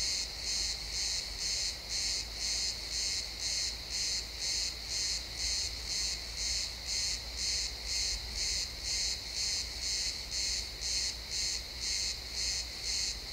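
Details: At sunset in a pine forest, crickets give a continuous, regular chirping, high and pulsing about twice a second, recorded in XY stereo in realtime, with a faint low background hum.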